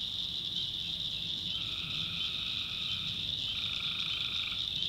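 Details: Tree frogs calling at night in the backwoods of North Carolina swamp forest: a dense, continuous high trilling chorus, with a separate lower, steady droning call entering partway through and holding for several seconds.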